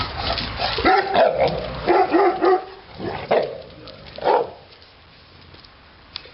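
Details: Titti, a Neapolitan Mastiff, lets out a rapid series of rough, resonant barks, about four a second at first and then slowing to single barks before falling quiet.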